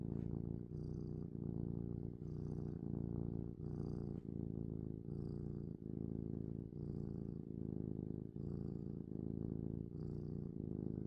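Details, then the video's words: Domestic cat recorded close for an ASMR purring and sniffing session: a continuous low, throbbing purr, pausing briefly about every one and a half seconds between breaths, with soft hissy sniffs in each pause. "Cat Purring & Sniffing"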